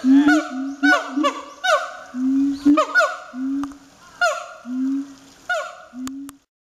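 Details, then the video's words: A siamang at Chiba Zoological Park barks vigorously, giving loud, ringing barks with sharp rising onsets, repeated about once a second. "【音量注意】吠えるフクロテナガザル＠千葉市動物公園"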